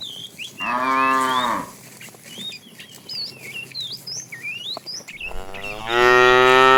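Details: In a tame herd herded in the afternoon, a fat cow calls the female with two drawn-out, rich moos, the second beginning at the end of the clip. Thin, varied bird whistles fill the pause between them.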